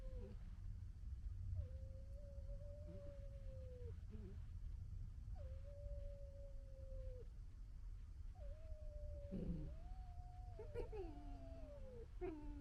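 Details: Vixen directing gekkering at another vixen in February 2022: a run of sustained, slightly falling whines, then near the end two voices overlap in tangled, rising and falling cries, all over a persistent low background rumble.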